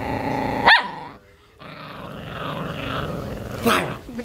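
An Italian Greyhound growls in a low, rumbling stretch, broken by two sharp, yelping outbursts.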